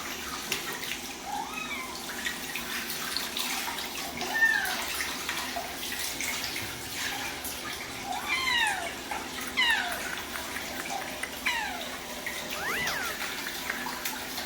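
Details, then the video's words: Cats meowing on bath day, a set of four housecats, drawn-out falling meows at irregular intervals over a steady background of running water. "고양이가 싫어하는 목욕하는 날"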